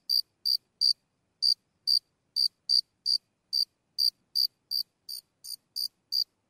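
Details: One cricket chirping at close range, its sharp high-pitched pulses coming irregularly, with a longer pause early on and uneven spacing afterward; nothing else audible.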